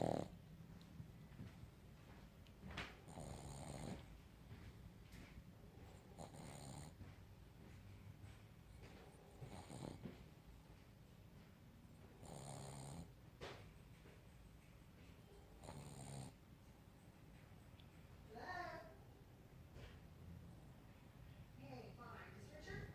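A Boston Terrier snores steadily, with low rumbling breaths and occasional snorts.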